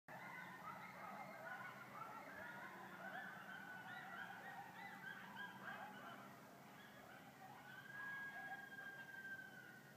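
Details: Coyotes howl, scream and yip together at night during a meteor shower, in a wavering, overlapping chorus of high, sliding notes.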